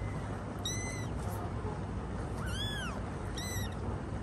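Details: Domestic cat with her kittens, a mother tending her babies: three short, high, arched mews spaced about a second apart, the middle one longest and lowest, against constant low background rumble.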